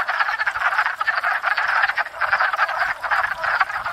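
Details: Crowded wood frog chorus at a pond each spring, frogs courting and breeding: rough, duck-like clucks overlap rapidly into a dense, churning rattle, loud and continuous.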